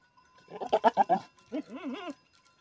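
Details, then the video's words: Billy goat among a herd of goats: a loud pulsed, stuttering bleat followed by a wavering, quavering bleat that rises and falls, with a steady bell-like ringing tone in the background. "Hegoat with goats enjoy"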